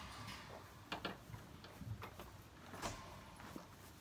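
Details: Horses (Equus caballus) eating hay in a barn make soft, irregular crunching and rustling chewing sounds against a quiet background hiss.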